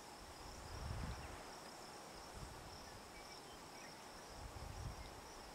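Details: Hadoa inaudita cicada on a juniper tree, Picket Wire Canyon, Colorado, July 9, 2009, around 8 PM: an even, high buzz continues throughout while low thumps and rumbles swell twice in the background.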